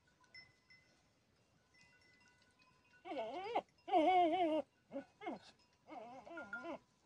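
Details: Billy goat with goats: wavering, nasal bleats rich in harmonics begin after a quiet start, loudest around the fourth second, then shorter bleats follow; thin, ringing chime-like tones sound faintly in the background.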